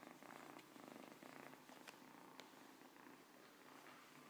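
A Siamese cat purrs in a steady, low, rumbling rhythm, with each breath giving a fresh pulse.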